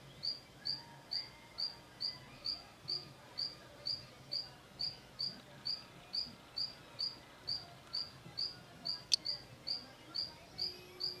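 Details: Mantella ebenaui, a group of adults and froglets feeding: short high chirps with a quick upward flick, repeated steadily about twice per second throughout, over a soft background hiss and one sharp click.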